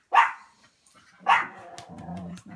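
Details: Two loud, sharp barks about a second apart from Butterball, an excited house dog reacting to a notification sound, followed by a low murmur of human voices.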